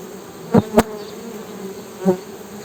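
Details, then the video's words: Honey bees humming: a steady low drone with a fainter overtone above it. Three sharp knocks or taps break in near the start and again toward the end. "HONEY BEE'S HUMMING SOUND"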